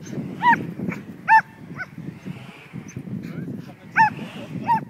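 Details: Pet Border Collie mix Betsy, herding a kite outdoors, gives four scattered high barks partly buried under steady low rumbling background noise.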